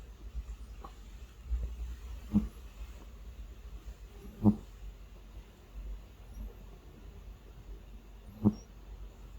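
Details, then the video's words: Sleeping pet cat snoring: three separate low, breathy snorts spaced a few seconds apart, with faint softer breaths between them over a quiet indoor hum. "코골며 잠자는 고양이 Sleeping Snoring Cat"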